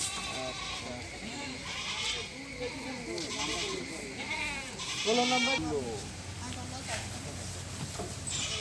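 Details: Goats handed out two apiece to poor people as a government grant; quavering, wavering bleats recur throughout, strongest near the middle, over steady talking and crowd chatter.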